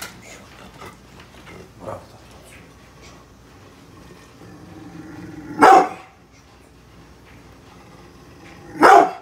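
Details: Bullet, a brindle Pit Bull protecting the house from construction workers working outside, lets out two sharp barks about three seconds apart after a stretch of quieter low growling and faint background noise.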